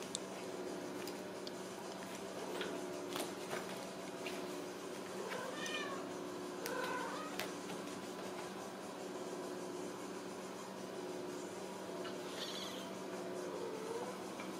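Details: Ragdoll kittens raised in a home cattery in central Kansas without cages; a few faint, high, thin mews surface now and then over a steady low indoor hum and soft clicks and rustles.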